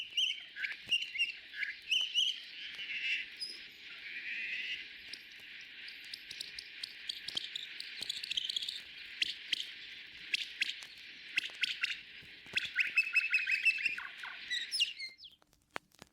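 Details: Humpback whale song from a 1979 National Geographic record, sped up 14 times to birdsong speed to reveal its patterned structure: dense runs of high chirps, trills and squeaks, repeated phrases running without pauses, ending in faint crackle.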